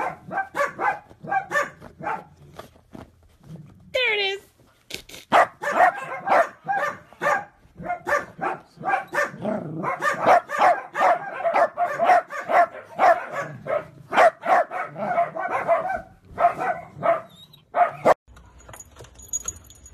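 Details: Playful miniature dachshund barking nonstop in quick, sharp, irregular bursts. The barks crowd together for long stretches, and a brief high squeak rises early in the recording.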